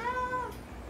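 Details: Adopted domestic cat about eight years old at a vet clinic, with anorexia, vomiting, throat pain and a phlegmy purr; a single short tonal meow lasting half a second, level then slightly falling, in a quiet room.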